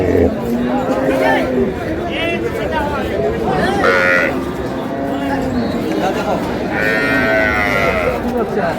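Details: Cows with calves at Ambari cattle market, Dinajpur, on April 20, 2026: drawn-out low moos rise and sink through a crowded marketplace, partly covered by bargaining voices and chatter.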